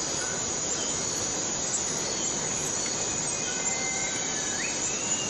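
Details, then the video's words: Steady, even high-pitched whine of a cicada in rainforest on Borneo, unchanging throughout, with faint thin whistles and a brief upward-sliding note near the end. "Borneo Rain Forest Cicada - Cicada sound - cicada noise"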